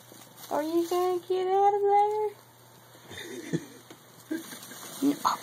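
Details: Tiger, a male house cat who got into a bag and is playing through it, utters one long drawn-out meow in two steady, slightly rising parts, followed by soft rustling and scratching of the bag.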